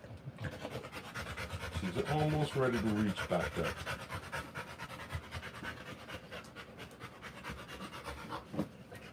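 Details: Rottweiler mother panting hard during the live birth of her puppies, rapid breathy puffs of around three per second throughout, briefly overlapped by a short burst of human speech.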